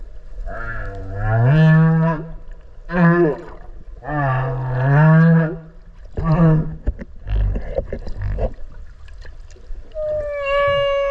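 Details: Whale heard underwater off Okinawa while swimming alongside the animals: deep, drawn-out harmonic moans that rise and fall in about five long units, with a steady higher tonal note closing the passage.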